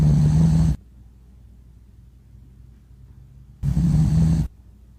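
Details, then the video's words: A sleeping dog snores: two loud, low, rumbling snores, each lasting under a second and coming about three seconds apart, with near silence between them. "Dog Snoring Loco"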